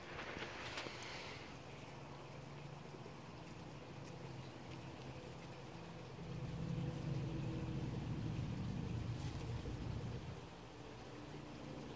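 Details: Low engine rumble like a passing vehicle or boat, with no animal sound heard.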